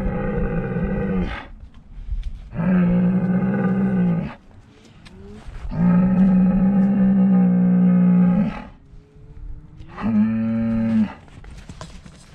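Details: Highland cattle bulls in Finnish farm woodland, walking towards a GoPro camera on 1 March; four long, deep, level moos, each lasting one to three seconds, separated by short pauses, the last one rising at its start.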